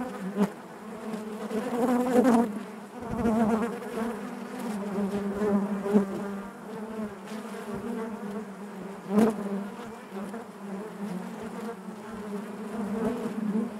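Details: Honey bees in their hive produce a deep, layered buzzing hum, rising and falling in intensity, with sharp tapping clicks and loud close wingbeat flurries at intervals.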